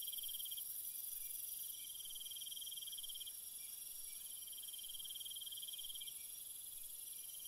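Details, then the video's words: Nighttime cricket chorus: shrill, rapidly pulsed trills in drawn-out bursts separated by brief pauses, with a dense high insect drone underneath throughout. "Cricket Sounds"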